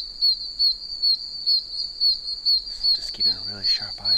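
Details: Chorus of tiny oak toads chirping from many puddles in a wet wilderness area, extremely loud: sharp, high peeps repeated about every 0.4 seconds over a constant shrill background, with a man talking near the end.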